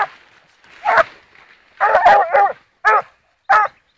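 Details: A blue griffon bitch aged 14 months on the trail of wild boar gives loud barks and a drawn-out wavering bay, the calls coming in short bursts separated by brief silences.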